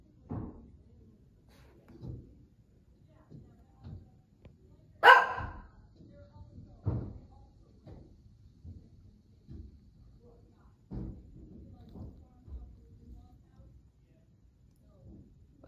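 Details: A Shih Tzu acting as watchdog barks at workers removing an old wood deck outside: sharp, scattered barks, one much louder burst among softer yips and knocks.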